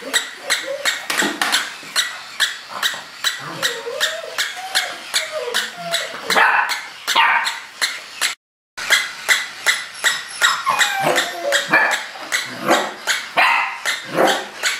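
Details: English Springer Spaniel puppy named Lucky barking repeatedly, short sharp yaps coming more than once a second, mixed with higher whining whimpers between bursts and a brief break midway.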